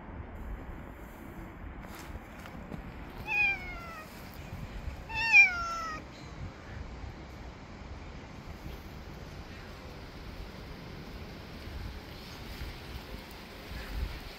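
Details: Male cat that bit a finger because his food came late, giving two clear, drawn-out meows about two seconds apart. Each starts high and slides downward. Quiet outdoor hiss fills the gaps.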